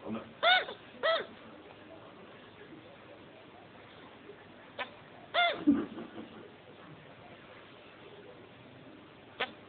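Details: After mating, a male chinchilla hiccups in short, clear, arching chirps, first a pair about half a second apart and then a single one. Indoor voices murmur in the background.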